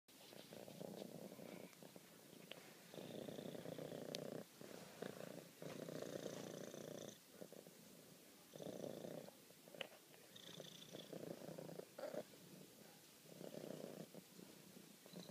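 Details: Female house cat purring while showing affection to her owner: a low, rumbling purr in long pulses of two to three seconds, each separated by brief pauses for breath, with faint soft clicks in a quiet room.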